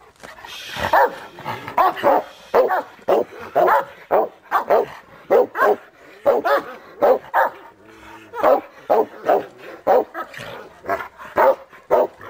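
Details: A Cane Corso barks in deep, gruff bursts, roughly twice a second, after seeing and catching a bite arm for the first time.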